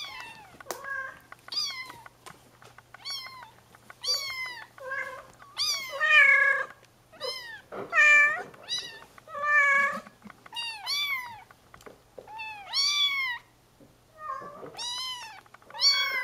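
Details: Several baby Bengal cats in a playpen, looking for adventure, mew loudly in a rapid, uneven run of arched, rising-then-falling cries, roughly one every half second, some overlapping.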